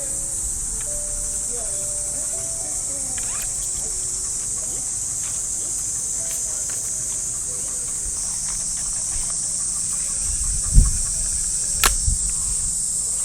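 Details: Early summer morning in a Japanese park, with cicadas droning from the trees in an unbroken high-pitched hiss. Low music and murmuring come from far off, and a few dull thuds and steps land near the end.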